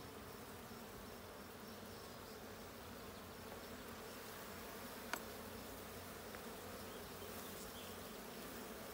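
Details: Steady drone of a honey bee colony as the blue hive is checked, 20 June 2022; an even, continuous buzz with layered low tones, broken only by a single faint tap midway.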